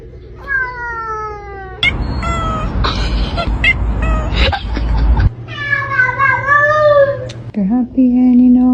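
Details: Talkative house cat giving long, bending meows, one sliding down in pitch and another wavering, with people's voices and loud talk in the middle and music briefly heard.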